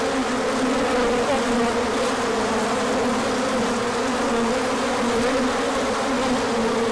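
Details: Swarming bees make a large orientation flight in sunshine after a cold stretch, 24 March 2024; a thick, even droning buzz of many wings, with faint wavering pitch.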